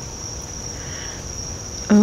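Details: Loud crickets outside during a summer-storm afternoon with thunderstorms about: continuous even high-pitched trilling, steady for the whole stretch, over low rumbling background noise, with a woman's voice starting at the very end.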